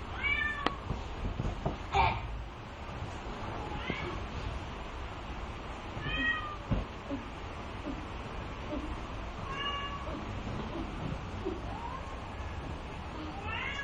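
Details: Young Bengal kittens, two months old, brown marbled and soft lilac males, at a cattery. A series of short repeated meows, some rising and some falling, every two to three seconds, with scattered clicks and faint speech in the room.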